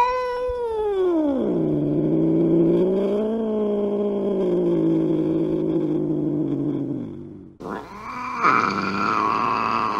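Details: Aggressive cat giving a long, drawn-out yowling caterwaul that drops in pitch during the first two seconds, then holds a wavering moan; after a brief break it rises into a higher, harsher wail.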